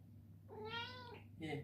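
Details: Coffee Cat, a male Ragdoll cat indoors, meows for his morning treat: a drawn-out rising then falling meow followed by a shorter second meow, with a person coaxing him in a small room and a steady low hum behind.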